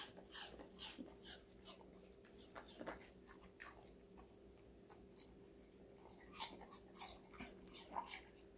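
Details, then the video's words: Indoors, a five-month-old female Golden Retriever named Connie eats various vegetables, giving crisp, scattered crunching bites, sparser in the middle and clustering into louder snaps near the end, over a constant faint electrical hum. "강아지 각종야채 먹방 l 사각사각사운드 🌿Various vegetavles🌿REAL SOUND"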